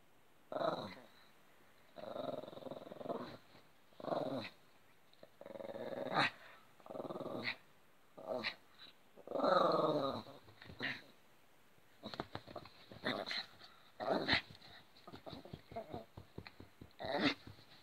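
A Yorkshire terrier gives a run of short, throaty growls and grumbling vocal bursts indoors.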